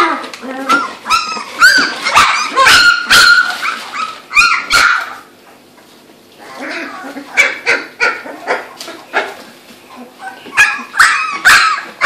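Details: Female Labrador Retriever puppies, two to three weeks old, at a kennel on Australia's Gold Coast, learning to use their voices while playing: high squeaky yaps and whines in bursts, with pauses, indoors.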